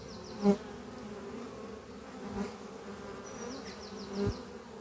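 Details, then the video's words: Worker honey bees buzz around their oak-chest hive under trees on a spring morning, the colony strong after winter. A continuous drone, with two sharp swells as bees fly past near the start and end, and faint bird trills high overhead. "sound of bees flying at beehive Doppio on a spring morning"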